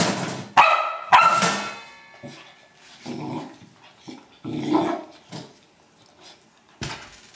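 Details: Old English Sheepdog playing with a trash can gives two loud, harsh barks early on, followed by softer scattered woofs and clattering knocks spaced irregularly over several seconds.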